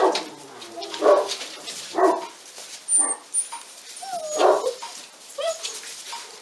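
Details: Young Pyrenean Mountain Dogs from a 46-day-old litter at the La Borda d'Urtx breeding and genetic reserve centre, Catalan Pyrenees, let out yappy barks roughly once a second, some sliding in pitch, with faint high squeaks in between.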